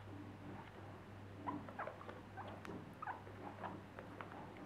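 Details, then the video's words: Four happy pet guinea pigs indoors give short squeaky chirps and soft chuttering bursts, several overlapping over a few seconds, with light pattering and a steady low electrical hum underneath. "Happy guinea pigs"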